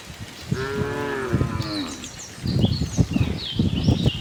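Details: Tame herd of cows roaming a cattle farm looking for fresh grass; one drawn-out harmonic moo around half a second to two seconds, followed by trampling and rustling with faint bird chirps above.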